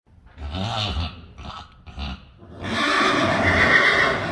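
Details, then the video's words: Friesian horse neighing: a few short, low, breathy snorts and grunts, then a long, loud, harsh whinny that fills the second half and holds a wavering high pitch. "Neighing horses. More than 100 times | April Fools' Day | Friesian Horses"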